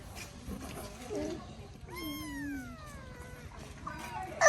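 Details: Abandoned baby kitten being fed its first safe meal lets out a single drawn-out meow that slides downward over nearly a second, in a quiet room with faint rustling and a sharp knock at the end.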